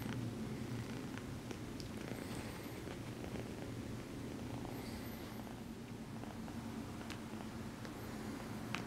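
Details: Exotic Shorthair kitten purring steadily while gently massaging her human after being petted, a continuous low rumble throughout with soft clicks and rustles indoors.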